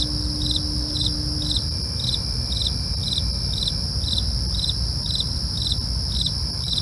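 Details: Crickets at night: short chirp bursts repeating about twice a second over a steady high, ringing trill, with a faint low rumble underneath.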